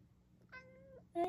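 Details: A cat relaxing on an earthen floor late at night after coming downstairs with its elderly owner gives a short, level meow of about half a second; a louder brief sound follows at the end.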